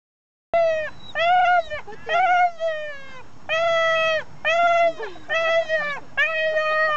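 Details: Clingy dog crying when its owner steps away, its whines sounding like "mama, mama": repeated drawn-out, voice-like wails, about one per second, each steady then dropping at the end.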